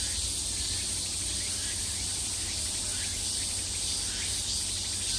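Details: In summer, cicadas produce an unbroken shrill, hissing drone from all directions, with only faint, irregular flickers of rising notes and a steady low background hum.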